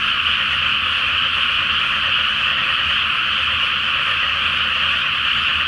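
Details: Many frogs calling together at night from a flooded rice field before planting, full Flower Moon reflected on the water; thick, constant chorus of dense rattling croaks without pauses.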